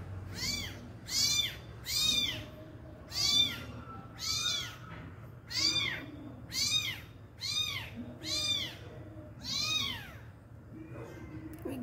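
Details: Abandoned kitten crying to its injured mother cat before being fed: a steady run of about ten high, arched meows, each under a second, repeated roughly every second, with a faint low hum underneath.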